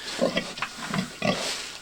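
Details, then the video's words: A sow on a Collinsville hill farm, ready to give birth and making a nest, gives short low grunts, several in under two seconds, while people talk nearby. "pig making funny noises as shes ready to give birth"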